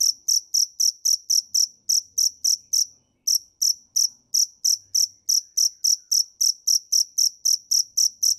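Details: Cricket chirping in shrill, high-pitched bursts, close to four per second, with a brief break just past three seconds before the steady rhythm resumes; no other sounds.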